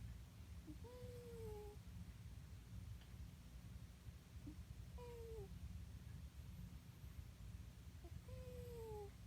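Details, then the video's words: Sleeping cat snoring: soft, thin whistling tones that slide slightly downward, one with each breath, heard three times about every three and a half seconds over a steady low hum. "Snoring cat"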